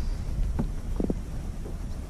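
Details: A black drum, just caught while kayak fishing and measured at 14.5 inches, drums with a few low, hollow thumping knocks over steady wind rumble.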